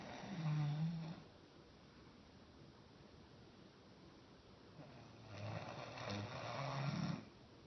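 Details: Standing-up sleeper Roscoe the dog gives a short low snore, then quiet breathing, then a longer rasping snore near the end, all deep and rough in an indoor room.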